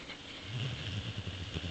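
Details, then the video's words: Bowser, a Boxer dog, asleep and dreaming, recovering from a recent operation after chewing something that punctured his throat; a low, rough rumbling snore with a steady, pulsing texture that runs through the whole short stretch. "Bowser the Boxer snores and dreams"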